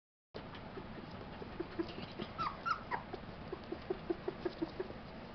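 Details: Tibetan Terrier puppies of a kennel litter born July 11, 2012: soft high squeaks near the middle, then a string of short, evenly spaced low pips repeated about every fifth of a second.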